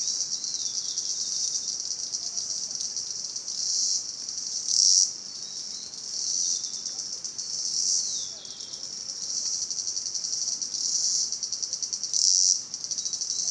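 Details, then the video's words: Cicadas calling in Salta: a high, continuous buzz that swells and fades in waves, with brief louder surges around five and twelve seconds and dips between. "Sonido de las Chicharras"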